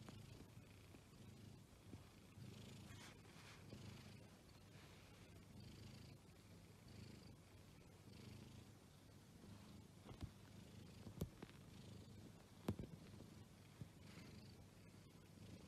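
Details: Exotic Shorthair cat purring: a soft, continuous low rumble with a faint pulsing rhythm, broken by a few brief clicks and taps.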